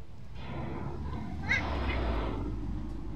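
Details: Black street cat in a corner: one drawn-out meow of about two seconds, harmonic and slightly wavering in pitch, over a steady low rumble of background noise.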